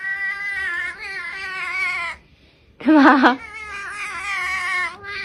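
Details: Cat indoors making long, wavering meows. A two-second moan fades into a brief silence, then a sudden loud, sharp cry rises before another drawn-out quavering meow carries on to the end.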